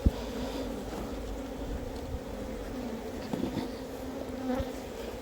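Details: Wild honey bees kept in a box hive, droning continuously as the keeper inspects the colony for honey; an even low buzz with a steady overtone above it and a few soft taps of handling.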